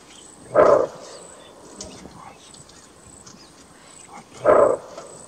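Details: Bark alarm call of a greater kudu, the large antelope of Kruger National Park: two abrupt, hoarse barks nearly four seconds apart, with soft rustling and faint distant sounds between them.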